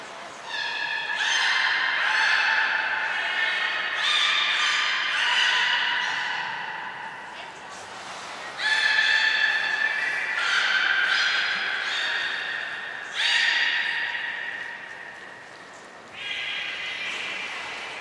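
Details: Captive belugas Hodoi, Taanya and Mirai at Port of Nagoya Public Aquarium, Japan, 23 February 2021, during pool transfer and training; long harmonic squealing whistles, held and gliding, in near-continuous bouts with short breaks around eight, thirteen and sixteen seconds.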